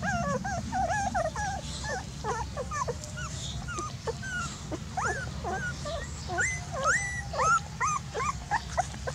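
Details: Dogs whimpering and yipping almost nonstop, many short high squeals that rise and fall, some drawn out into whines, with a faint low rumble underneath.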